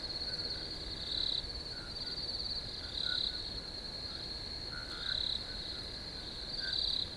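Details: Crickets calling in a field, giving an unbroken shrill high trill that swells into four louder chirping bursts, roughly two seconds apart, over softer lower chirps.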